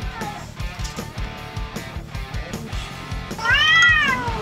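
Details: Domestic cat in a home shared by four cats, where Usopp and Sanji gang up on and bully Chopper. One drawn-out, arching meow rises and falls near the end over steady rhythmic background music.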